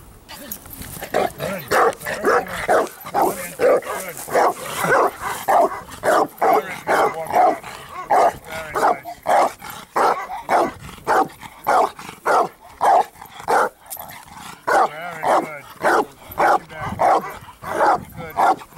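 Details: Achilles, a 4.5-year-old Bandog, works on build-up for strong barks in training on 25 August 2014: a long series of loud, deep, rough barks, roughly two per second, with brief uneven pauses.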